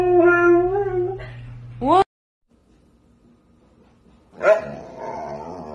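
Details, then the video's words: Siberian Husky talking: a steady, mid-pitched howl, then a sharp upward-sweeping yelp that cuts off into silence, followed by a short rough vocal burst. "Hilarious Talking Huskies Compilation | husky talking"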